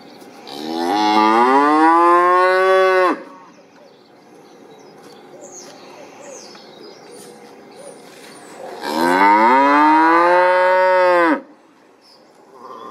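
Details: Two sustained bellowing moos from cattle, each around two and a half seconds, full-bodied and harmonic with a gently arched pitch, separated by roughly five seconds of quiet ambient noise.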